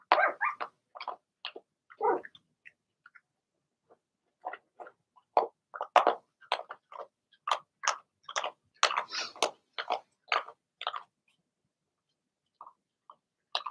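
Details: Young Cavalier King Charles Spaniels, a Blenheim litter of two girls and four boys, calling from their puppy pen at home: sharp, short barks and yelps in irregular bursts, densest midway through, with quiet gaps.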